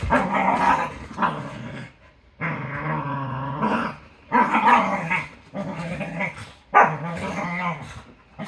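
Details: Cardigan Welsh Corgi female at play with another dog, making rough, throaty growls and yappy barks in repeated bursts of a second or so, loud and fierce-sounding though only playful.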